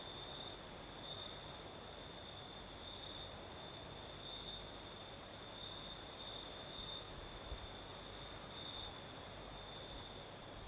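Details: Crimean crickets at night, southern coast, breeze blowing: an unbroken high trill on one steady note with faint periodic swells, beneath it a wash of wind noise and a muted low hum.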